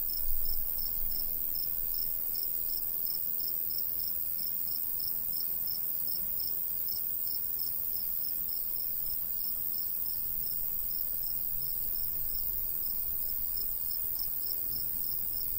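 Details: Steady cricket chirping from a golden wheat field in the summer countryside: a long, regular train of high pulses, roughly three a second, over unbroken high hiss and faint low wind.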